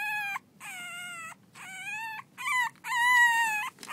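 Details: Six-week-old French Bulldog puppies playing, one voicing five long, steady, rich-toned whines, each about half a second to a second long, separated by brief pauses, the last ones slightly wavering.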